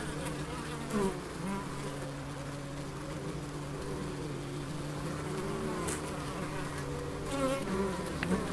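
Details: Bees in the Biblical Gardens, Elgin, Moray, Scotland, giving a continuous low hum with wavering tones over soft outdoor background noise, rising slightly louder in the last seconds.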